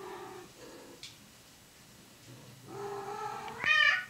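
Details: A pair of domestic cats mating indoors, with moaning low meows at first, then a long wavering call that breaks into a sharp, loud, high-pitched yowl at the end.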